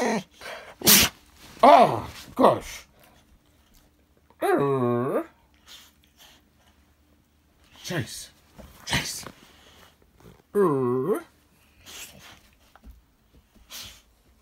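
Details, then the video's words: Pet Alapaha Blue Blood Bulldog trying to talk: after a person's speech and a sneeze-like snort, two separate drawn-out, wavering moaning yowls rise and fall, with scattered short quieter sounds between. "My BullDog Tries To Talk To Me"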